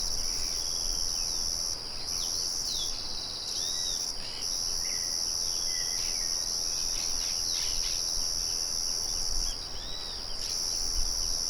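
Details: Chorus of crickets outdoors in nature, a windmill murmuring behind: continuous piercing high trill broken by short pauses several times, while scattered soft bird chirps and swooping whistles sit beneath it over a low rumble.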